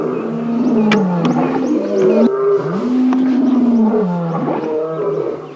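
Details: Several lions, including male Birmingham coalition lions near a carcass, roar together in a morning safari drive, deep moaning calls swelling and falling in overlapping waves, heard close by all around.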